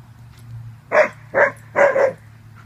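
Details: An Alaskan Malamute gives three short, gruff barks, the last doubled, while the malamutes play wildly together.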